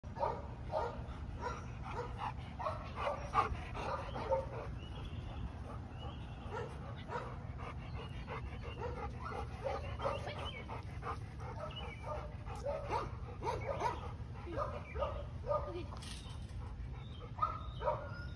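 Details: A Rottweiler at a no-kill animal shelter in Dallas, Texas gives quick, repeated barks and yips over a steady low background hum.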